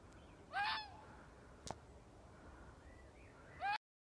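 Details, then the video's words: Fox making a weird noise: two hoarse, harmonic cries about three seconds apart, each with a quick rise and a drawn-out falling tail, plus a single sharp click between them over faint hiss. "Weird fox noise"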